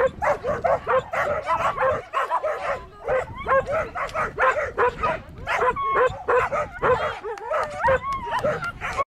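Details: Excited border collie giving fast, insistent barks and squealing yips, several each second with only brief pauses, the yips bending up and down in pitch.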